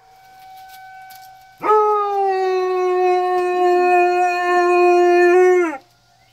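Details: A Weimaraner in Alabama howls at a tornado siren: a fainter, steady siren tone, then a single sustained, rich harmonic howl held nearly level for about four seconds that sags and drops away sharply.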